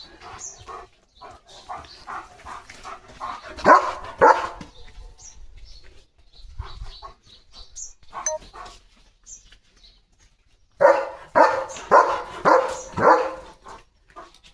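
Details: German Shepherd named Leo, a playful pet dog, barking in short bursts: a run of quick barks, a pause with scattered yips, then a loud final volley of about five barks close together.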